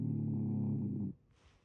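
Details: Shiba Inu with a stuffy, blocked nose giving one loud, deep, rattling snore lasting about a second, low and rumbling, then a soft breathy exhale.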